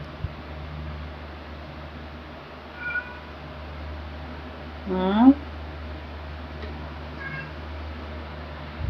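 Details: Domestic cats Luna, a black cat, and Angel, a tabby, in footage from 2018 to 2021: one rising, harmonic meow midway through, with faint shorter calls before and after over a low steady hum.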